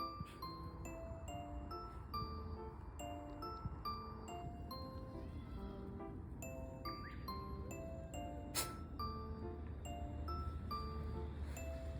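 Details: Gentle chiming music-box melody with tinkling bell notes plays throughout, and no animal voice.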